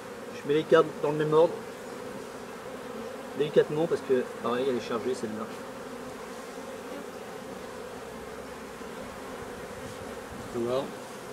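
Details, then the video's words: Honey bees humming at a hive while drone-laying colonies are being replaced; a steady low buzz runs throughout, overlaid by several short bursts of human speech in the first few seconds and again near the end. "Remplacement des bourdonneuses"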